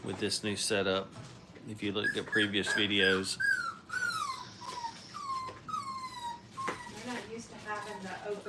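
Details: Five-week-old Brittany puppies at play in a training kennel: a run of high, thin whines sliding downward one after another, following a stretch of human talking at the start.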